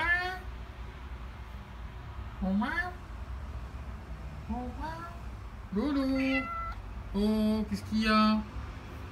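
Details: Maine Coon cat indoors meowing repeatedly while a woman talks to it in French; a series of rising and falling meows, some short, some drawn out and louder near the end, interleaved with her questions.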